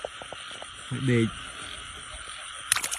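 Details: Frog in the rainy season, found during a frog-catching walk: a single short, low, harmonic-rich croak lasting about a third of a second, set against a steady high insect chorus and faint rustling.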